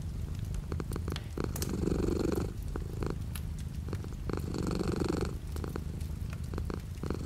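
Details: Low continuous purr from a cat, light rain outside the window; two strong swelling phases of rumbling about three seconds apart, fainter purring between, and crisp drip-like clicks scattered across the recording.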